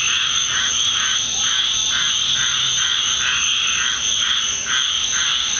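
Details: A loud nightly frog chorus in a Deep South backyard after a rainstorm. Steady high trilling runs throughout, layered with lower pulsing calls repeated roughly three times a second, forming a dense, unbroken wall of sound.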